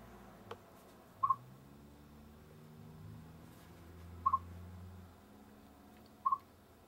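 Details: A Siberian chipmunk gives short, sharp double chirps, spaced a few seconds apart over a low hum.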